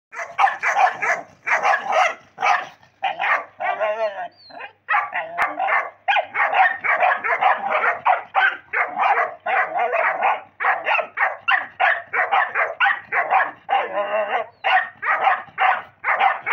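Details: Angry pit bull puppy barking in rapid, nearly unbroken bursts of harsh, high yapping barks, with a few drawn-out growling, rasping stretches in between.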